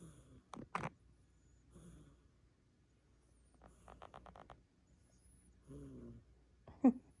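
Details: Sphynx cat snoring while sleeping: a quiet run of rapid, rhythmic snoring pulses, then a soft wavering snore and breathy sounds, with a couple of sharp clicks and a low background hum.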